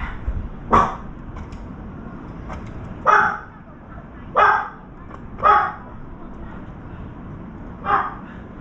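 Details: Dog barking nearby while a round-foreheaded crow feeds at a veranda; five sharp, harsh barks spaced unevenly over about eight seconds against a low background hiss.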